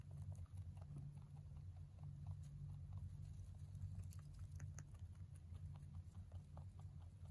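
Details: Male pet mini rabbit, born November 3, 2020, eating hay: soft, irregular crunching clicks as it chews, spaced unevenly over a steady low hum.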